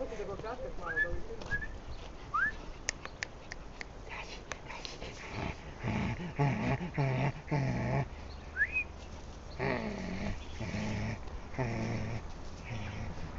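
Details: White Sarplaninac puppy, offspring of Lun od Bjelica and Tara od Bjelica, giving short high rising whimpers, several early on and one later, between bursts of human speech and handling noise.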